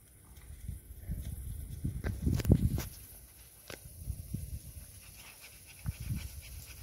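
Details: Sofia, a pet dog, on her birthday in June 2023, breathing and snuffling close by: soft low huffs swell into a louder burst of panting about two seconds in, then fade to quieter, irregular puffs.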